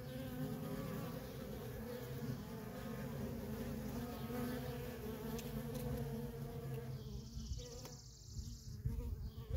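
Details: Feral colony of honey bees with worker bees in constant traffic, giving a thick steady buzz; near the end a brief higher hiss cuts in over the hum.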